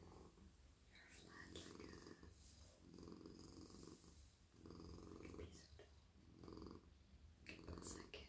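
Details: Male domestic cat being stroked in a lap at night, purring in steady low rumbling waves that rise and fall with his breath, while soft whispering and brushing hand sounds occur over the purr.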